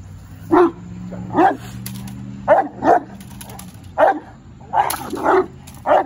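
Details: Young male Presa Canario barking defensively during his first defense drive training session: deep, gruff barks, eight in about six seconds, some paired, irregular gaps, over a steady low hum.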